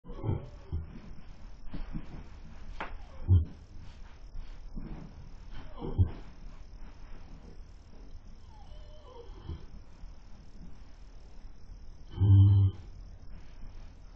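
A horse snores in deep, rumbling low breaths that come every few seconds.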